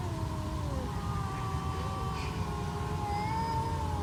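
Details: Sustained low moaning from two stray cats in a confrontation, steady drawn-out harmonic tones that hold and waver slightly, with faint higher notes late, over a continuous low rumble.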